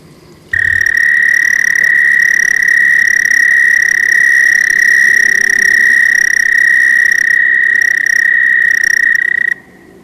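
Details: An American toad (Anaxyrus americanus) in evening wetlands in the northeastern US gives a long, steady, high musical trill lasting about nine seconds, a cricket-like sustained call.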